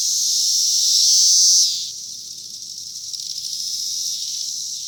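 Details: Cicadas calling from a cherry tree, 2021; an intense, shrill buzz holds for under two seconds, then cuts off, leaving a softer, shimmering background chorus of more cicadas.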